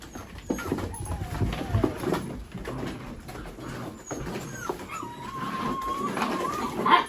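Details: Mini Goldendoodle puppies playing with boxes, chasing and rolling around together; thin whining whimpers with a long wavering high whine near the end, over rustling, thumps and a steady electrical hum.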